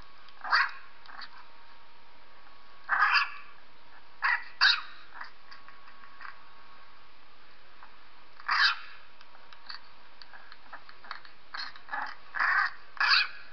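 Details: Pet dog Purdy listening to a recording of a three-week-old puppy; high, squeaky whimpers come in short bursts, with clusters near the start, the middle and a quicker run toward the end, separated by quiet gaps.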